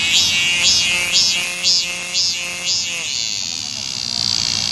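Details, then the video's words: Cicada song recorded 9 July 2018 while heading to Hwaseo Station: six shrill rising-and-falling arcs at a two-per-second pace, then merging into a continuous high drone. "매미소리 처량한데"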